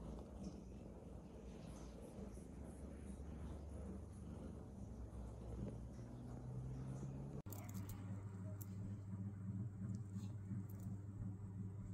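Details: Low rumbling vehicle noise and faint distant voices fill the recording, broken by a sudden cut midway, with no animal calls.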